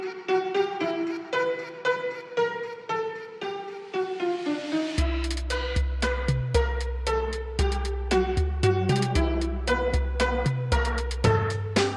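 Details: Bowed and plucked string music, a violin melody giving way to a bouncy pizzicato rhythm with deep bass notes, and no animal sounds.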